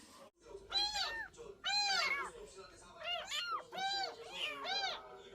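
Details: Stray cat during a rescue: a run of high, arching meows, about five clear calls in quick succession with bright harmonic tones, each rising then falling.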